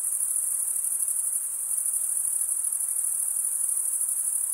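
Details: Male crickets chirp by stridulation, scraping a comb-like wing vein; steady, very high, continuous buzzing trill of a cricket chorus, even in loudness, nothing else audible.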